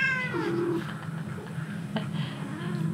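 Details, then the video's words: A short-legged Munchkin cat, missing an earlier companion, gives one meow indoors that starts high and slides down into a flat, lower drawn-out tone, with a low hum behind it. "전여친이 그리운 고양이 꼬부기"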